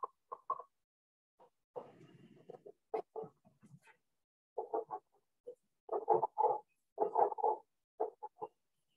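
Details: A leopard frog heard at Stratford at the end of the evening gives low, clucking grunts and rattly chuckles in uneven bursts, with spring peepers calling faintly in the background.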